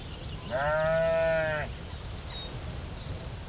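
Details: One sustained, slightly vibrating bleat from a sheep on the field, lasting about a second, then calm open-air background.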